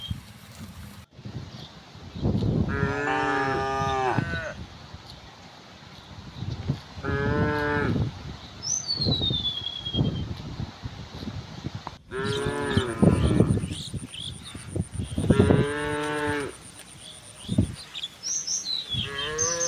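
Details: Tame cows in a herd with oxen walk toward wide green fields in the morning sun. About four long, deep, harmonic moos are heard, each lasting one to two seconds. A thin, falling bird whistle sounds between them, and there are abrupt edits.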